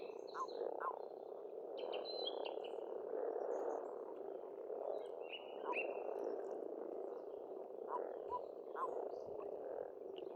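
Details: Pond frogs in springtime, Estonia, croaking en masse in a continuous, churning murmur, while several birds add short whistled phrases and chirps throughout.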